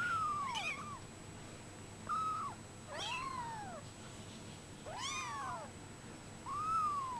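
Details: Brown Bengal kittens, 24 days old, keep up a string of plaintive falling mews roughly every one to two seconds, some thin and flat, others fuller and arched, with no other sounds.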